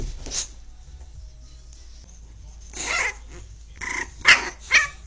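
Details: Pit bull puppy angry with its owner: short, harsh barks and yaps come in scattered bursts, two sharp loud ones close together near the end, over a low steady background hum.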